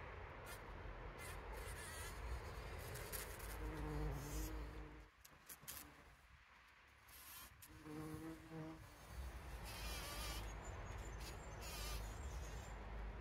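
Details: Bees collecting pollen, recorded on a trail camera on 17 June 2023: a continuous low buzzing hum that swells and briefly drops away mid-clip before returning, with faint wavering tones.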